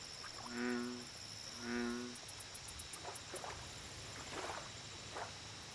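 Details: American bullfrog calling at a lake: two deep, resonant harmonic croaks about a second apart, each lasting under half a second, then softer scattered chirps, over a steady high insect drone and ticking.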